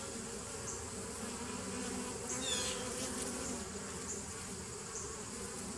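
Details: Bees of a 2017 nuc humming on 27 September 2018, an even low buzz that swells briefly midway, with scattered faint high bird chirps in the background.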